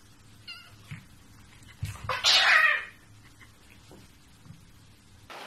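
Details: Domestic cat from a funny cat compilation with one loud, strained, high meow lasting about a second, a faint wavering cry before it and low background hum.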